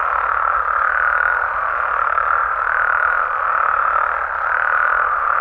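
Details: Night chorus of frogs and toads in Mexico, a continuous buzzing mid-pitched wall of calls that swells and eases gently about every two seconds, with no other clear sounds.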